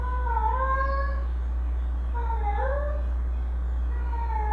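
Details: A white and black domestic cat meowing at a window, its calls sometimes likened to a cow's moo: two drawn-out, harmonic meows that rise and then fall, with a third starting at the end, over a steady low hum.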